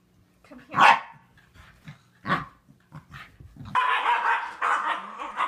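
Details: Corgi letting out two sharp, separated barks, then a burst of higher, noisy yipping or excited vocal sounds continuing to the end, with a faint steady hum underneath.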